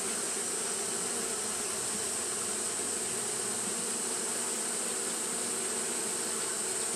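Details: Fanning Japanese honey bees on a hot day give an even, droning buzz, low and layered, joined by a steady thin high hiss, with no breaks or changes in loudness across the recording.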